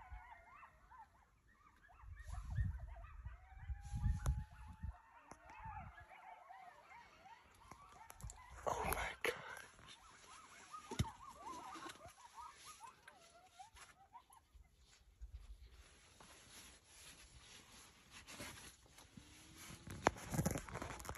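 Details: Group of coyotes heard far off, a quavering chorus of sliding howls and high yips that builds and fades, over steady hiss and low rumbling handling noise.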